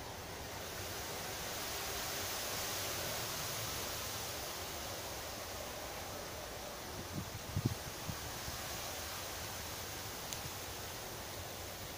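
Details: Outdoor hiss of wind and rustling with a few soft knocks near the middle, and no animal calls.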